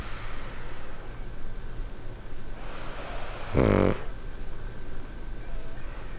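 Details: A pug snoring at night, asleep on a bed with a cozy winter pad; a soft breathy inhale builds into one loud rattling snore around the middle, then fades to quiet breathing and hum.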